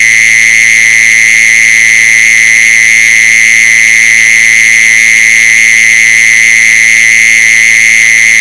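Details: A mole cricket's steady, high buzzing trill runs on without a break, loud and unchanging in pitch, played as a lure call to attract mole crickets.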